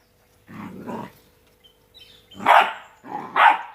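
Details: Playing Rottweiler puppies, two months old: low growly grumbles followed by two loud, higher yelping barks close together.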